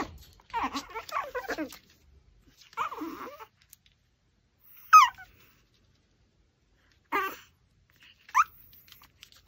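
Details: Pomeranian eating a raw pork backbone indoors, giving harmonic whining whimpers mixed with rough growly bursts, in short clusters separated by silent gaps, with sharper yelps near the end.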